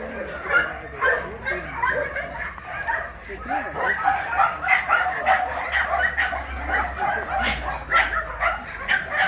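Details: Large dogs at the Mindeulle abandoned-dog shelter in Yangsan, Korea, during exercise time, some of them shy; many dogs bark at once in dense overlapping bursts, with yips and human voices mixed in throughout.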